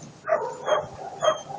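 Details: Three short whining yelps spaced about half a second apart come from Attila ot Salmoxis, a German Shepherd puppy eight months old.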